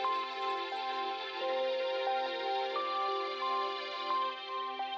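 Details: Soft sustained synth chords with gentle melodic notes play throughout, with no animal sounds.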